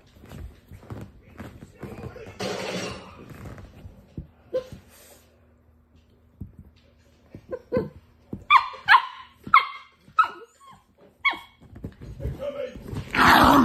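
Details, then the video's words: Funny dog noises: after a quiet, rustling start with faint talking, a dog lets out a run of short, sharp yelping barks in quick irregular bursts, ending in a loud noisy rush. "FUNNY dog noises!"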